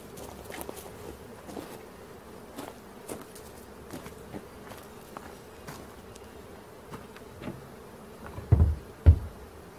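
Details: Honey bees from a swarm being collected in Tennessee give a soft, steady hum beneath repeated knocks and handling noise, ending with two loud thumps.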